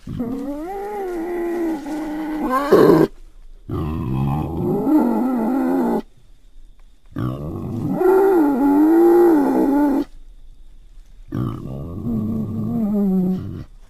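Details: Wild boar calling in rough, wavering squeals and moaning cries, several multi-second bouts with pitch bending up and down, separated by short silent breaks.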